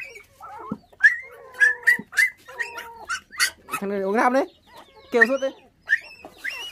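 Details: Orphaned puppies, five in a litter, raised on bottled milk after their mother was stolen at six days old, Vietnam; sharp high yelps alternating with drawn-out quavering whimpers and short pauses.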